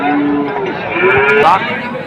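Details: Holstein Friesian heifer at Ambari market, sold as high quality: a short, rising moo with a strong harmonic tone, with music and market noise behind it.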